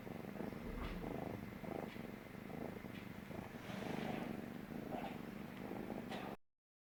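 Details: Stray kitten on a lap for the first time, purring as it feels safe; low pulsing rumble with rises and falls of loudness, some rustling, ending abruptly before a short silence.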